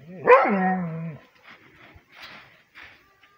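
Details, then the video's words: A Rhodesian Ridgeback barking on command gives one drawn-out, harmonically rich bark-howl lasting about a second, sliding slightly downward in pitch, followed by a few faint, soft noises. "Rhodesian Ridgeback Barking"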